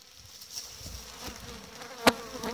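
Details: Honey bee colonies being packed and insulated for winter during the last hive intervention of the season: a low steady hum sits under sharp handling clicks and knocks, with a loud click near the end.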